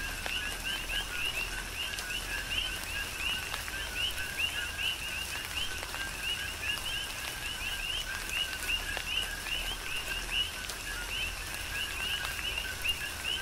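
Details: Chorus of coqui frogs on Hawaii's Big Island in a tropical rain shower, dense rising two-part chirps overlapping continuously, with steady rainfall and occasional sharp drips in the background.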